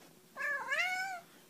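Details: A cat gives a single meow as a greeting, saying hello. The clear, tonal call lasts under a second, rising slightly, then holding and easing down at the end, in a quiet indoor setting.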